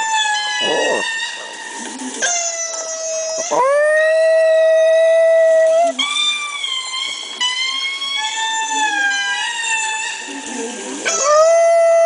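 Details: A Chihuahua named Bambi howls at lemur calls played back on a laptop. Sustained, steady howled tones hold for several seconds, broken by short dips and restarts and mixed with the lemur recording's own wailing calls.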